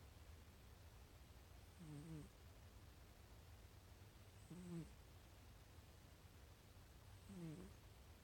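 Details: A sleeping pet cat snoring: three soft, low breathy snores, roughly every two and a half to three seconds, over a steady low background hum.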